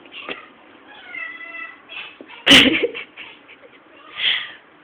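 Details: House cat worked up after spotting a fly, filmed on a low-quality camera: short rising and falling chirps and a drawn-out meow, broken by one sudden loud burst of noise, then a final squeaky call.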